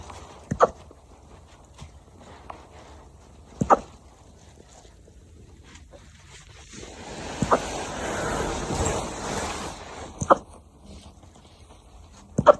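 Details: A 9-week-old corgi puppy hiccups, giving short, sharp, soft clicks spaced a few seconds apart.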